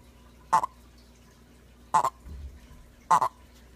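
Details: Captive smooth-sided toad named Rasputin calling indoors; three short, abrupt croaking bursts roughly a second apart, each a brief double pulse, in a quiet room.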